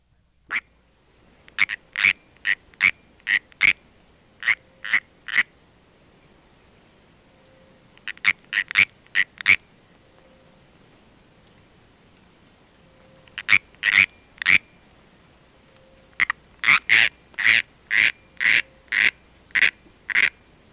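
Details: California treefrog giving its warning chirp: short, sharp, clicky chirps in uneven bursts of about five to ten, separated by pauses, with a few faint low tones between bursts and an otherwise quiet background.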